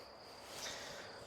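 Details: Crickets chirp in the mountain village of Vorokhta, below Hoverla, giving a steady, high, thin trill against a soft outdoor hiss.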